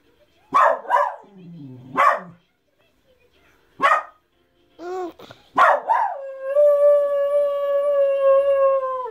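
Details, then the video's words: A Miniature Schnauzer barks sharply and high at people passing by, then breaks into a long, steady howl. "Miniature schnauzer barking/snorting/howling"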